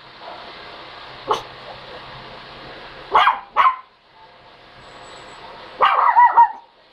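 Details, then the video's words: A dog gives a short yip, then two quick barks in succession, and later a longer, rough bark trailing into a whine, over a constant low hiss. "Look I can Bark"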